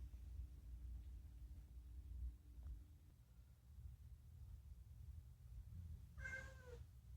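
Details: Talkative rescued domestic cat meowing, mostly about food; after several quiet seconds with a low steady hum, one clear drawn-out harmonic meow sounds near the end.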